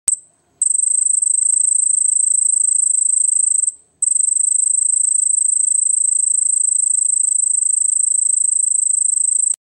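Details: At night, a cricket gives a thin, very high-pitched, steady trill that breaks off briefly, then resumes.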